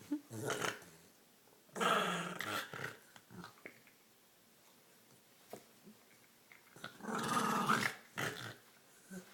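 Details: Female dog Olive, tugging at her green toy, produces two loud bursts of rough snorting and gurgling growls several seconds apart, with quieter scuffles and breaths in between.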